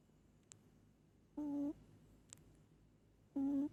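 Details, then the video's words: Moli, a pet cat, sleeping and snoring hard: two clear humming snore tones, each about a third of a second, two seconds apart, with faint ticks between them in a quiet room. "Cat snoring"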